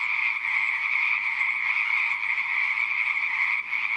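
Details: Continuous chorus of frogs in a pond, shrill overlapping trills with a brief dip in loudness near the end, otherwise steady throughout.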